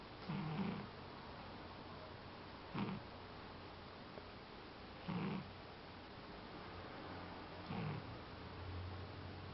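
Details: Sleeping pet cat snoring deeply: soft low rasping breaths recur roughly every two and a half seconds, four snores in all, in a quiet indoor setting.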